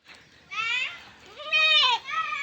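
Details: Goat waiting for wet grass to dry before eating, giving wavering nasal bleats, a short one then a longer, louder quavering bleat, with a faint voice at the start.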